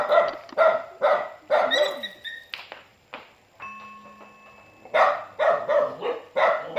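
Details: Dog barking as it greets its owner coming home: quick bursts of harsh, harmonic barks, a brief gap filled by steady electronic-sounding tones, then a fresh run of rapid barks.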